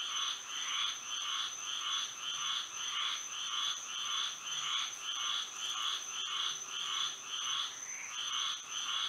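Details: Frogs singing through a moonlit Florida night: rhythmic, rasping pulsed calls in even bursts about every half second from overlapping frogs, backed by an unbroken shrill drone.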